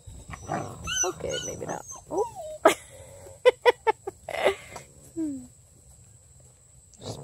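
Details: Redbone Coonhound puppies playing rough with a blue hippo toy; sliding whines, sharp yips and a few short barks in a burst, with a man talking nearby.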